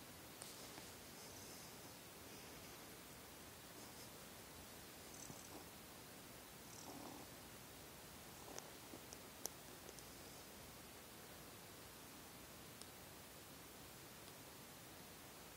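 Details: Quiet continuous purring from Seol, a young house cat, after kneading at bedtime; an even low rumble throughout, broken by a few faint rustles and soft clicks of movement.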